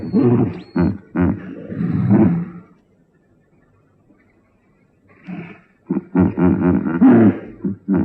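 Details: Hippopotamus producing throaty, pulsed grunts in a quick cluster, falling quiet for about two seconds, then resuming with a louder run of chuckling honks.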